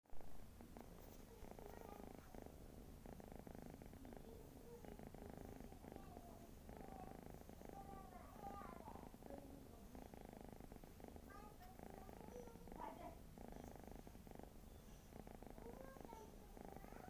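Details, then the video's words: Pet cat snoring indoors, a steady low rumbling purr-like drone with fine rapid pulses and faint breathy surges, continuing evenly throughout with soft scattered clicks and a little background hiss. "snoring sound of my cat"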